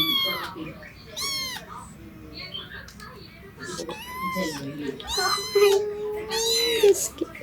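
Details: Young male Japanese cat kitten, tabby and white, giving repeated high, arching mews with rising then falling pitch, about five calls in seven seconds, with a faint steady hum underneath.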